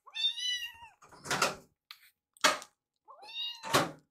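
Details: Baby rescue kittens being fed, one curious about another's meal; clear harmonic meows alternating with sharp knocks and clatter, possibly a bowl or cupboard, indoors.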